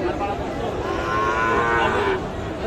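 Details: Sahiwal cattle at Raniganj cattle market in Dinajpur on 7 April; one drawn-out, wavering moo with rich harmonics over about a second and a half, set against steady market crowd noise.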